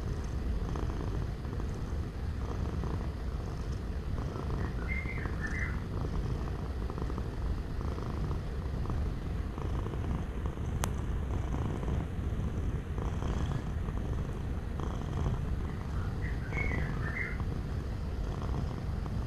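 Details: Cat purring steadily for relaxation, a long low droning rumble with regular pulses, twice joined by brief faint bird chirps and a single sharp click in the middle.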